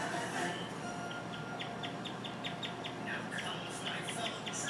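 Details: Pet guinea pig indoors at home, chirping for an unusually long time. Short high chirps start after a second and then repeat about twice a second. A person speaks quietly over a faint background hiss.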